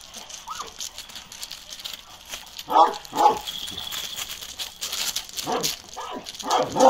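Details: Deep barks from Balyoz, a 15-month-old male Kangal with a karakırçıl coat, come in irregular bursts mixed with human speech and rustling noise.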